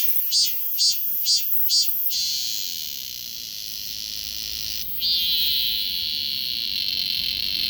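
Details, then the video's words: Cicada buzzing recorded on a Galaxy S24 Ultra smartphone: four loud, evenly spaced pulsing bursts open the passage, followed by a continuous shrill hiss that steps up in loudness partway through. "매미 울음"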